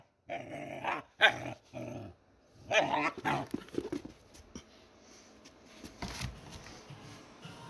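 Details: Pet dog making funny noises indoors: short throaty, growly bursts with whiny harmonic tones, three main bouts in the first few seconds, then quieter scattered sounds.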